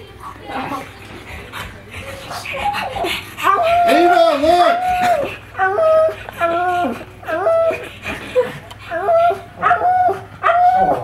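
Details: Watching himself on TV, male pug Magoo won't stop his weird noises: after a quiet start come quick repeated yips and bent whines, bursts roughly every half second, with a person speaking nearby.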